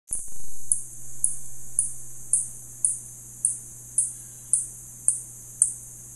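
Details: Spotted bat calling: a steady series of high, sharp ticks, about one every half second, each with a quick fading tail, over a constant low hum.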